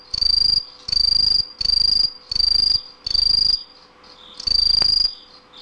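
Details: Green tree cricket (Aomatsumushi) song: a series of six bright, piercing, high trills, each about half a second long. Brief gaps separate them, and the rhythm grows more irregular near the end.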